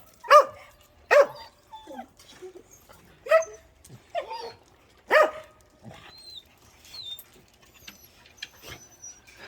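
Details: Pet dog Cheondungi barks after coming home from a walk: about five loud, clipped barks at uneven intervals, mixed with softer yips and faint high chirping sounds in a quiet room.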